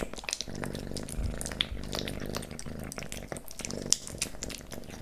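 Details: Leo the kitten eating pate, stick and creamy cat treats at close range: crisp, irregular licking and chewing clicks with occasional bright smacks, over a soft low hum throughout.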